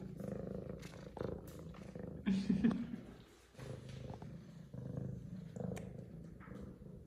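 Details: Indoor F2 Savannah cat, excited after missing her owner, purring in a continuous low rumble with brief louder pulses, while a woman speaks affectionately over much of the recording.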